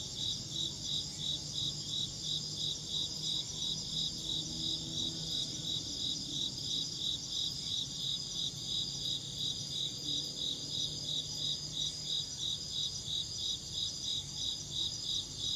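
An insect chirps steadily, a high shrill trill pulsing rapidly without pause.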